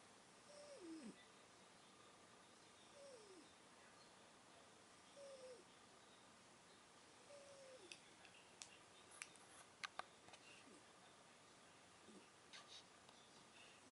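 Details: Cher, a cat, snoring: soft, thin whistled breaths that slide downward in pitch, repeating roughly every two to three seconds, with low background hiss and a few faint clicks and taps near the end.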